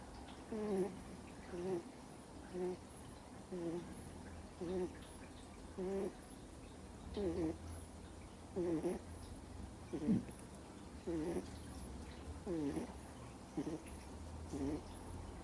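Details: Snoring of a deeply sleeping Miniature Schnauzer puppy, two months old, indoors: a steady run of short whistling, wavering nasal breaths, about one each second, with slight bending pitch on each breath.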